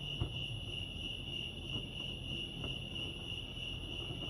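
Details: Steady high-pitched cricket chirping at Lake Arrowhead, California, fast regular pulses throughout, with a low background rumble and a couple of faint clicks.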